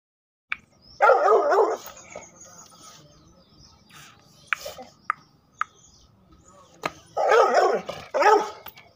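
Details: Pit Bull dog giving two drawn-out, rough, wavering barking bursts about six seconds apart, separated by sharp clicks and knocks against a quiet background.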